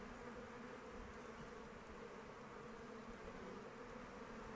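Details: Many honey bees in flight near the hive in open weather, their wings making a continuous low hum that holds steady and level without pauses or rising calls.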